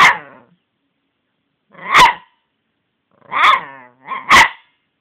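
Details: Cici the dog barks four times: harsh, noisy barks with long gaps after the first two, then the last pair close together in quick succession. No other sounds are present.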